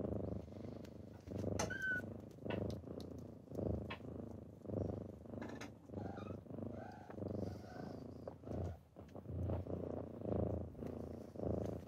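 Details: Kittens waking someone in the morning purr in a deep, pulsing rumble, each breath cycle under a second, while a few thin high squeaks and clicks rise briefly above.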